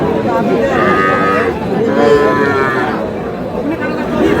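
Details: Two bursts of bleating calls, each under a second, from Sahiwal bull calves at a market in Sherpur, Bangladesh, on 22 July. Busy crowd talk and price haggling run throughout.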